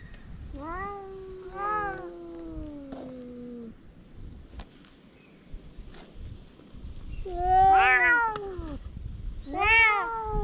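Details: Stray cat quarrelling with another cat that arrived, filmed with a GoPro: drawn-out wavering meows with falling tails, two calls early then two louder yowls later, a quiet gap between them.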